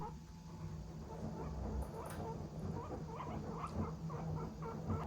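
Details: A seven-year-old guinea pig grumbles in low, rumbling bursts with short squeaky notes, irritated after rushing in expecting food and finding none, as if nagging.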